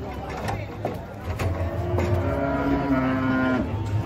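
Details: A lowing cow among a herd coming down from a truck, a long, level moo held for over a second, preceded by thuds and chatter, with a vehicle humming throughout.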